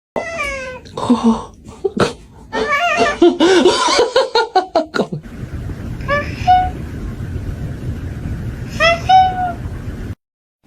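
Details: Cat making short, high, wavering meows early on, mixed with human voices and laughter, then two clearer rising-falling mews near the middle and end over a steady background hiss.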